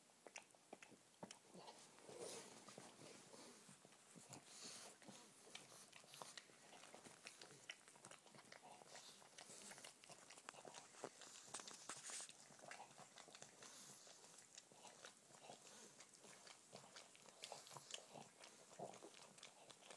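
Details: Indoor recording of pug puppy Che lavishing licks on older pug Mowgli, paw pads included: steady soft wet smacking and slurping clicks throughout, occasionally swelling slightly louder.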